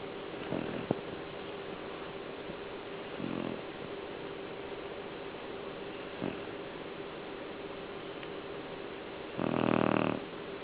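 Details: Sleeping pet dog snoring in short, rough, buzzy bursts every few seconds, ending with one longer, louder rasping snore, all over constant hissing background noise.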